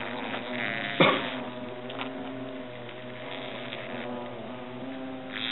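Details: European hornets at their nest inside an oak trunk in Agen, France, while the nest is being destroyed: a steady, low droning hum with layered overtones, constant throughout, broken by one sharp knock near the first second.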